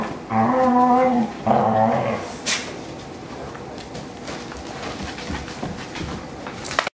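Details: Indoor lazy wrestling among three adopted dogs, a Pointer, a Husky mix and a Lab mix, kept inside by blistering heat: two drawn-out, harmonic groaning growls in the first two seconds, a sharp knock, then soft shuffling.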